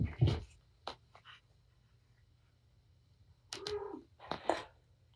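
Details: Patience, a mother cat fostered through Purrfect Pals, plays indoors with her five kittens; after thumps and quiet, a short harmonic mew sounds, then another brief chirp-like note.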